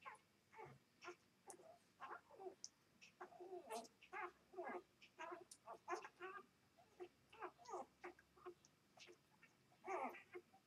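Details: Two-day-old puppies from a Vizsla mother and a Labrador father, giving rapid, high squeaky whimpers and short cries in quick bursts throughout, with brief quiet gaps between them.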